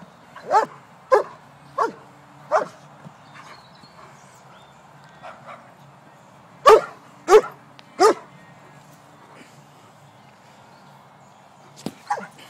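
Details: Playing White German Shepherd at A & B Dogs gives a run of sharp barks, four spaced about every half second, then a tight burst of three after a pause, and a couple more near the end, over a low background hum.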